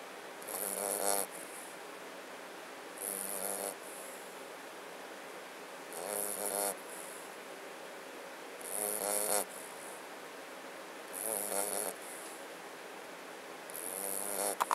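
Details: Mastiff/Boxer mix puppy named Freya snoring while asleep, six slow breathy snores spaced roughly every two to three seconds, each a broad raspy rush with a sharp hissing top, quiet room between breaths.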